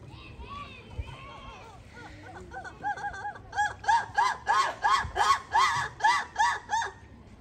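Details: A black lemur at Izu Shaboten Zoo, Japan, on 12 November 2022, gives a quick run of nasal, arching yelps, about three per second, after human voices.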